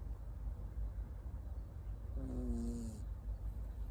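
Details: Sleeping on a lap, Tamago the Miniature Schnauzer puppy, born 9 October 2021 in Nago, Okinawa and living in Osaka, lets out a single short tonal snore, slightly falling, against a constant low background hum.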